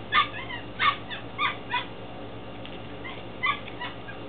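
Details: Ten-week-old Belgian Malinois Shepherd puppies from a litter born in February 2015, recorded in Williston, Florida. A run of four sharp rising yelps is followed by a pause, then two more yips, over a low background hum.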